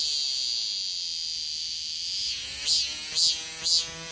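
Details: A 2023 cicada chorus: continuous high, hissing buzz for the first half, then three strong pulsing swells rising out of the drone near the end.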